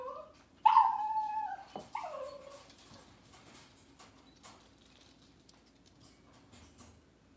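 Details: Cavalier King Charles Spaniel in a kitchen on a cloudy Monday morning: a loud, whining yelp followed by a shorter second cry, then faint household rustling and clicks.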